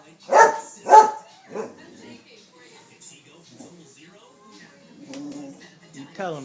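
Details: Pet dog at home barks twice, loud and sharp, at a squirrel, then gives a softer third bark. Quieter rustling and a person's voice follow.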